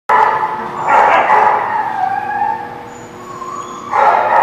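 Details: Dog at The Barking Lot, recorded 21 July 2017, giving drawn-out tonal whining cries with strong bursts at the start, around one second and near four seconds, and a quieter sustained tone in between; faint background hum.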